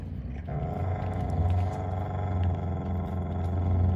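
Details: Steady deep rumbling growl from a Siberian Husky boy, Jotunheim, standing up for his sister Tiara against another sister over pulled toilet paper; unbroken throughout, with a slightly raised tone after the first half second.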